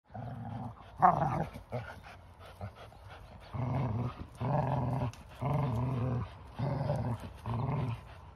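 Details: A 4-year-old Bluetick Coonhound gives deep, tonal growls and baying in rhythmic half-second bursts, rope still in mouth, during tug-of-war with a 2-year-old Labrador-Husky mix.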